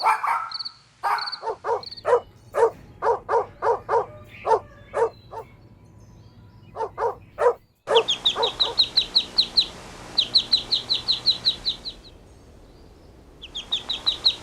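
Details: Outdoor play between puppies and their mother dog. A regular run of short, clipped barks about twice a second, then a pause, followed by rapid high chirping trills from a bird.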